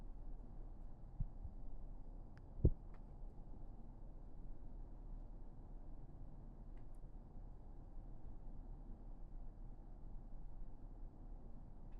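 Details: ['Quiet indoor room hum broken by a few soft clicks and taps; no animal sound.']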